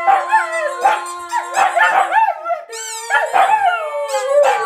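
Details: Singing along to the Korean national anthem, pet dogs Tatu and Kkungjji (Siberian Husky and Shiba Inu) give rising and falling howls with quick yip-like inflections over a steady sustained music tone.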